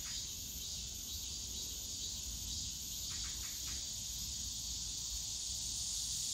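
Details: A summer cicada chorus in the Yongsan Family Park bamboo forest makes a continuous shrill sizzling wash, with a short ticking, buzzy flurry near the middle.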